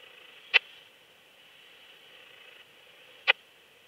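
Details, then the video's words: Raymond's bush-cricket song from Lido di Spina, Italy, 3 September 2021, picked up with an ultrasound detector: two single crisp clicks nearly three seconds apart, with soft background noise between. "Yersinella raymondi -- Kleine Strauchschrecke -- Raymond's Bush-cricket"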